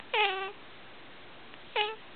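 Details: Domestic cat meowing along as its owner sings "Old MacDonald": two clear, harmonic-rich meows, the first drawn out and level, the second shorter after a pause, with quiet background between them.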